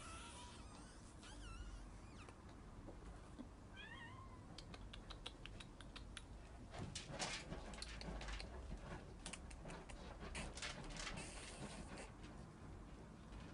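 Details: House cat chasing a laser pointer gives two wavering, bent meows early on, then a run of sharp clicks and taps, perhaps paws and movement, over steady indoor hum.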